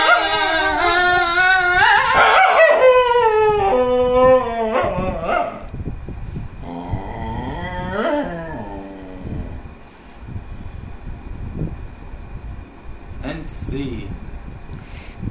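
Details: A dog sings along with its owner at different pitches, giving loud wavering howls that rise and fall, joined by a human voice, then quieter drawn-out howls with brief clatter near the end.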